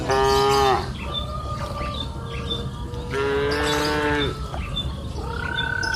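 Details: Cows grazing freely on a green pasture hill in the afternoon give two long harmonic moos, the first short and the second drawn out over a second, with a fainter lowing between and light bird chirps behind.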